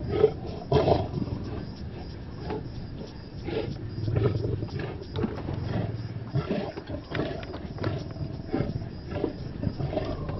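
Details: Male lions feeding at a buffalo kill in Kenya's Maasai Mara, giving deep rumbling growls and harsh snarling bursts, loudest near the start, over a constant low background rumble.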